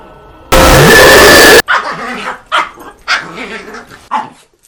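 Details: A seal gives short, hoarse, dog-like barks while flirting, after a loud blast of noise.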